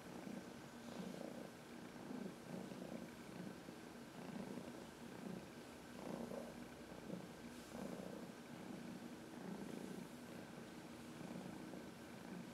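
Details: Heidi, an older female cat from the Humane Society of New York City, purrs contentedly while using a person's knuckles to massage herself; a low continuous rumble swells with each breath about every one to two seconds.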